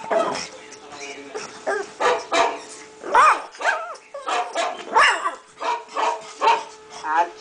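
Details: A five-month-old pug answering other dogs' barks with a steady series of short, hoarse yaps, about two each second, some with a rising squeaky edge, amid a background of other dogs barking.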